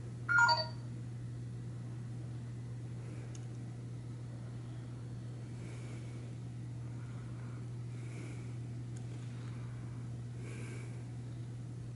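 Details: Brief electronic beeps at the start, then a steady mechanical hum in a small indoor room, with no animal voice heard.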